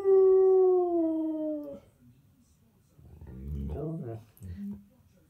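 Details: Husky or Malamute dog singing along to an Oral B toothpaste advert while lying comfortably: a sustained howl drifting gently lower for nearly two seconds, followed by faint television voices and a brief low whine.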